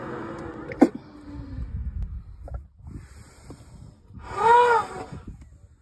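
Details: Elephant giving a short, tonal squeal with a rising-then-falling, bowed pitch, lasting under a second near the end. Before it there are quieter low rumbling and snorting noises and a sharp click, all over faint background noise.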